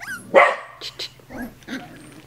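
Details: Male Australian Terrier showing off for his puppies: one sharp bark followed by a few softer short yips and grunts, with a steady low hum underneath.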